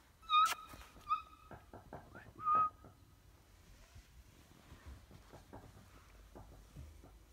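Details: Briard dog giving three short, high, wavering whimpers in quick succession early on, then quieter shuffling and tapping noises.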